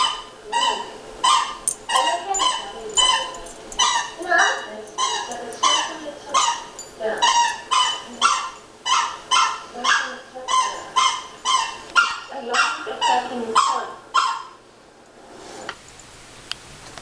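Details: Three pet dogs, including a beagle, barking indoors in reaction to recorded dog barking: rapid, sharp barks roughly twice a second for about fourteen seconds, several voices overlapping, then quiet.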